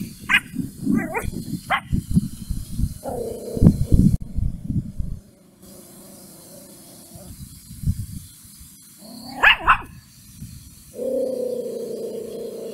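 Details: Mimi, a puppy, angry at a stranger: a few sharp high yips and barks, then long steady whining growl-like tones, with low rumbling handling noise throughout.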